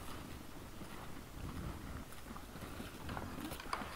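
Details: Wild boars in front of a trail camera on 17 December 2022 at 20:17 in the evening, giving low, rough grunting noises over steady broadband background hiss.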